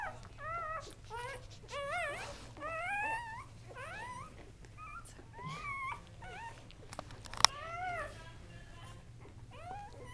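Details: Newborn Kuvasz puppies, three males born October 30, 2008, squeal and whine in rapid bursts of high, rising and falling cries, several overlapping, with one sharp click midway and a low steady hum underneath.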